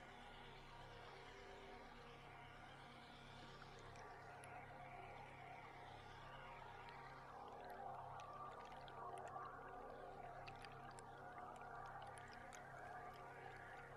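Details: Beluga whales heard underwater from a boat on a July tour, a dense mix of squeaky whistles, buzzy rising sweeps and rapid clicks over a constant low boat-engine drone.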